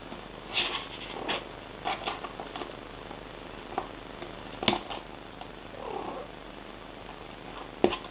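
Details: Mother cat talking to her kittens: a steady purr runs beneath short soft chirping calls and brief mews scattered through the recording.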